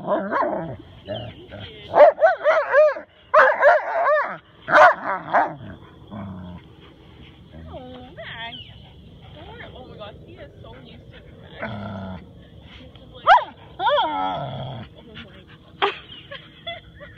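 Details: Husky/wolf cross Max chattering during daily play with Rottweiler Tor, who makes no sound; dense bursts of bending, whining yowls early on, a quieter stretch, then more wavering howl-like talk, with a person speaking alongside.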